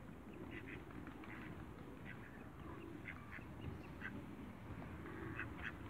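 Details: A newly met pair of Mallard ducks at a waterbird farm gives short, nasal quacks in loose bursts, some doubled, scattered across the clip over a steady low rumble of background noise.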